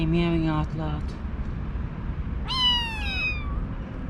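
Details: A very vocal kitten in a kitten cage, brought in after vet treatment, gives a single high, thin meow sliding gently downward after a woman's morning greeting. He meows a lot even when fed, seemingly asking to be petted.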